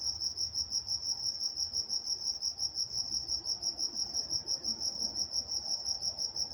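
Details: Nocturnal cricket chorus from Walnut, California, a bright high-pitched pulsed trill repeating regularly about three times each second, with soft distant low-frequency rumble.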